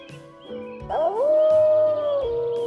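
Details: A gray wolf howls: a smooth tone rising, holding steady, then dropping, over soft background music.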